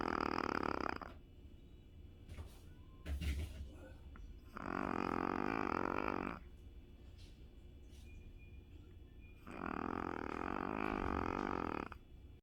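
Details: Sleeping Shih Tzu snores in a small room, each inhalation a harsh, rattling drone lasting about two seconds, three of them at steady intervals of about four to five seconds, faint clicks in between.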